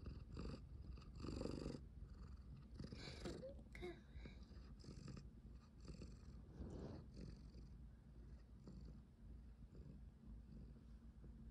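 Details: Pet cat, apparently Lala, purring inside a cat tower room with a fluffy object set in it, November 2023; steady low purr throughout, with brief rustles and scratchy movement noises.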